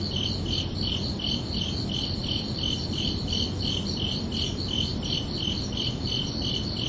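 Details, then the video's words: Nocturnal cricket chorus of sharp, high, evenly repeated chirps, close to three per second, over a fairly loud, constant low-frequency background noise. "Calming Cricket Sounds for Relaxation"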